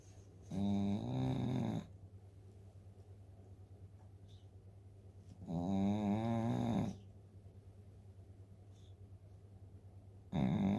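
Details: Snoring of Dooly, an eleven-year-old Shih Tzu dozing after eating dog food: loud, rattling, buzzy snores of over a second each, returning roughly every five seconds, with quiet pauses between them in a small indoor room.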